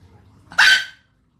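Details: One dog bark, a single abrupt, harsh yap that ends quickly, with a soft low rumble just before it.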